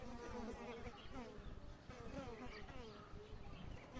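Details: Asian honey bees (Apis cerana) in Kashmir at the start of the new season, 10 February 2022: a steady, low, wavering hum from many bees, with background noise throughout.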